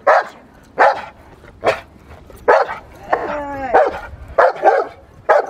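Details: Magda vd Fehn Kolonie, BH, a Rottweiler in protection training, barks forcefully and repeatedly, about once a second, with one drawn-out, falling, whining bark in the middle.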